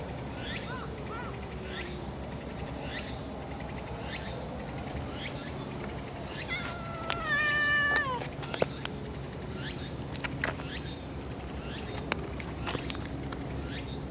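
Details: A friendly brown tabby-and-white cat in a park, being petted and curling up affectionately, gives one drawn-out, steady harmonic meow around the middle of the clip. Regular faint high chirping from other creatures continues throughout over a low background hum.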